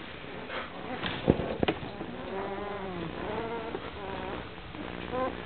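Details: Two-week-old Golden Retriever puppies give thin, wavering whimpers and squeaks over a low background hum.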